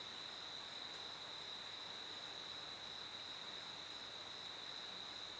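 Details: Cricket chirping as a steady, unbroken high-pitched trill at one even pitch, set against a constant hiss of background noise with no other clear sounds.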